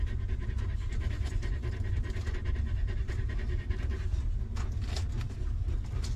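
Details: A stray dog mother that has just given birth to a litter of puppies, sheltering them in a harsh environment. Rapid, steady breathy pants pulse continuously beneath a heavy low-frequency rumble.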